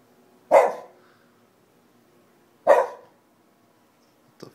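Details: Shiba Inu dog barking at nothing indoors: two sharp, loud single barks about two seconds apart, then the start of a third, in a quiet room.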